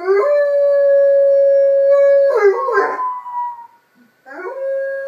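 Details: Enzo, a 6-pound pet Miniature Pinscher, howls in response to sirens: a long, steady, mid-pitched howl held for over two seconds breaks into wavering yips, then a second howl begins and levels off.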